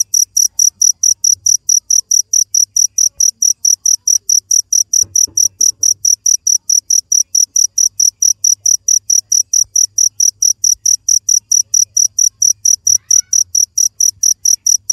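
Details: A cricket keeps up an even run of bright, high-pitched chirps, roughly four each second for the whole stretch, with a brief soft knock partway through and a faint low hum behind.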